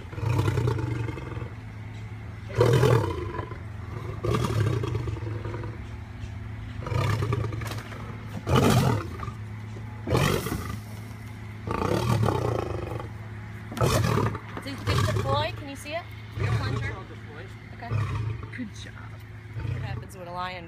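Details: A lion in rescue care keeps up a rough, low rumbling growl for twenty seconds, broken by repeated harsher bursts every one to two seconds, some of them louder and more abrupt.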